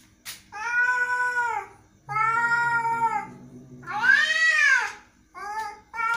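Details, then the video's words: Angry domestic cat meowing indoors: four drawn-out, strained meows, each lasting about a second, with wavering pitch that rises and then falls, separated by short pauses. "angry cat"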